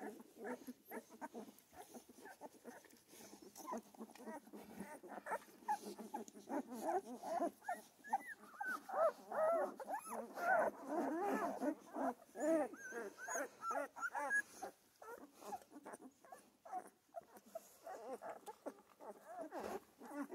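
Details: A litter of Central Asian Shepherd puppies in Michigan keeps up a long chorus of quavering whimpers and squeaky whines, densest in the middle stretch, with many short overlapping cries throughout.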